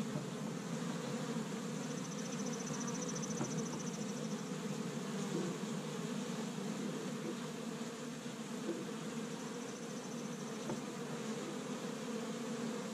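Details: Established honey bee hive active on a warm spring day in Michigan, bees collecting tree-bud pollen; continuous low buzzing drone with a faint higher whine drifting in twice.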